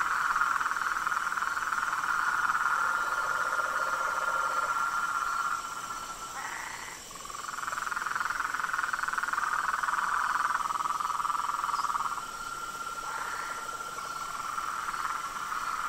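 A dense chorus of frogs and toads, many voices overlapping in a steady, pulsing trill.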